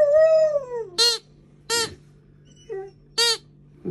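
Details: Female Alaskan Malamute puppy scared of her new squeaky toy alligator: one long falling tonal howl followed by four short bright yips spaced under a second apart, a faint steady hum underneath.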